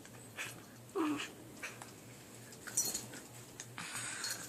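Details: Puppies fighting over who gets to chew make short, odd squeaks and grumbles, with a brief whining note near the start.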